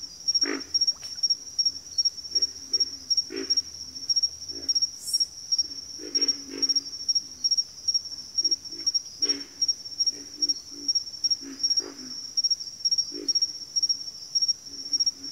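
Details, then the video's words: Frogs calling in a backwater chorus: scattered low, guttural grunts and croaks, some in quick doublets, spread across the recording over an unbroken shrill, pulsing insect trill. "Frog Chorus"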